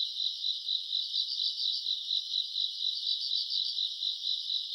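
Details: Short stretch of August summer-night grass insects: steady shrill chirring with quick beaded pulses throbbing several times a second, loudness gently rising and falling.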